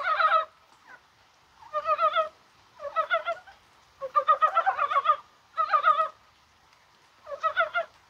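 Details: Mountain frogs (Dybowski's brown frog) croaking in January rain on a spring-like day in Korea. Six or seven short bursts of fast, throaty, pulsed clucking come at irregular intervals, with quiet pauses between.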